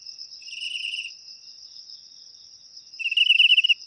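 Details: Crickets chirping, a sound employed to scare off rats naturally: a short soft pulsed burst, a pause of nearly two seconds, then a louder rapid pulsed burst, over a continuous thin high trill.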